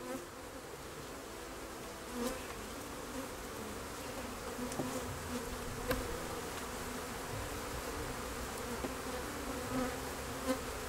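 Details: Continuous quiet humming of honey bees, an even low drone with faint brief surges and occasional soft clicks over a hissy background.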